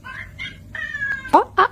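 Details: Domestic cat giving a run of short, high mews with clear stacked overtones, the third drawn out and level, then two louder, abrupt sounds close together near the end.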